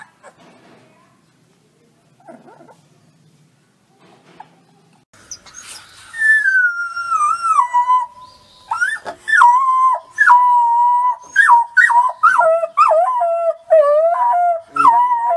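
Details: Young wolf pup learning to howl: after quiet scratchy sounds, a wavering high howl starts sliding downward, then breaks into a run of short rising and falling yips and broken howls.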